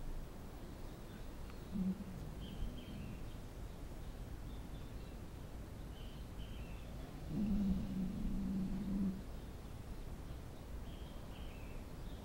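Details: A dog snoring: two low, rasping snore bursts, a short one early and a longer rumbling one a few seconds later, over steady background hiss with faint high chirps throughout.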